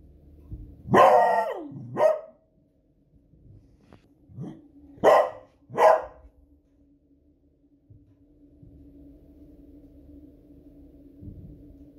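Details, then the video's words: Female pet Beagle named Smudge reacting to loud fireworks on a Friday evening, barking enthusiastically: a drawn-out bark sliding down, a quick follow-up, then three more barks after a pause, with a faint hum behind. "Cute Beagle Barking at Fireworks Noise"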